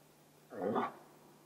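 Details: A bull moose gives one short, throaty, harmonic grunt during the autumn rut in Vest-Telemark, Norway.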